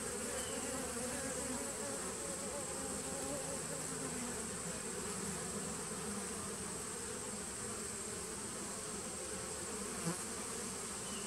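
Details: A 2017 honey bee nuc humming on 19 September 2018: a continuous, level buzzing murmur of many bees with low and mid tones layered together, and a brief sharper buzz near the end.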